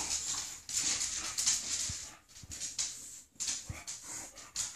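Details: Two female English bulldogs playing indoors, one wearing a cone after surgery: rough, breathy snorting and huffing bursts in an irregular run, harsh and hissy, with brief quiet gaps and light scuffling.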